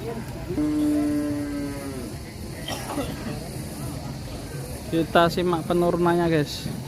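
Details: Qurban sacrifice cattle being unloaded from a truck, some of them raging: one long, steady, harmonic moo lasting about a second and a half, followed by human voices talking over low vehicle rumble.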